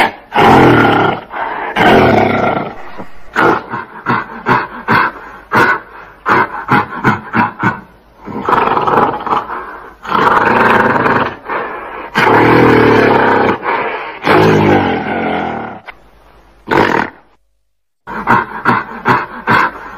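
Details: Gorilla giving loud, rough roaring calls in long harsh bursts, broken by runs of short rapid barking pulses, with a brief silent gap near the end.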